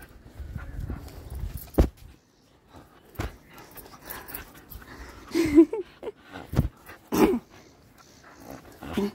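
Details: Pet dog making scattered short huffs and snorts separated by sharp clicks and knocks, with a brief higher whine around the middle and another soft whimper near the end.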